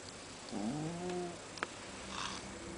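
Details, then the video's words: Kurara, a sleeping domestic cat, snoring quite loud: one low, droning breath with a slight upward sweep, then a faint click and a soft hiss under steady background hum. "Kurara the cat - Snoring -"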